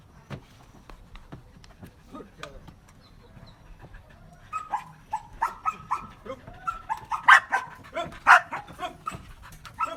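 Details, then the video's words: Belgian Malinois in obedience training, taught to bark on command, 4 February 2023; soft sounds give way to a run of short barks, with two louder, rougher barks standing out, and a human voice mixed in. "របៀបបង្រៀនឆ្កែអោយចេះព្រុស /How to teach a dog to bark"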